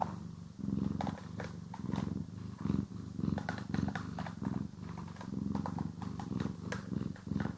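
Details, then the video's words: Domestic cat purring while being groomed and brushed, recorded in stereo: a steady low rumbling purr in swelling bursts, mixed with frequent short brushing strokes and scratchy clicks. "CAT ASMR | Purring, Grooming & Brushing"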